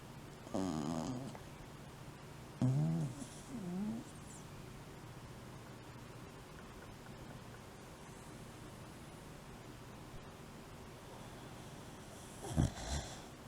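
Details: Shiba Inu deep asleep, alternating snoring with sleep talk; a few short wavering whines and snorts at the start and end with a low steady breathing hum between.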